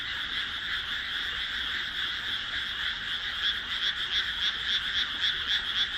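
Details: Frogs in chorus at dusk in a rice paddy among houses, planted on 1 June 2012; a dense continuous trill fills the air, with rapid pulsed croaks growing clearer and repeating about four times a second in the second half.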